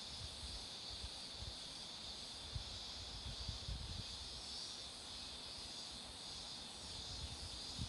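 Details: Cicadas beside a road lined with blooming marigolds give a continuous high buzzing hiss, level and unbroken, over low rumbles and bumps, likely passing traffic or wind.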